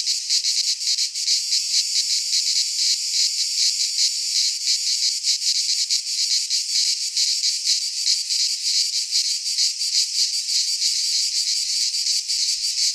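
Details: Midsummer chorus of cicadas in a pine forest in Greece, a continuous shrill high buzz with faint uneven pulsing throughout, nothing else audible.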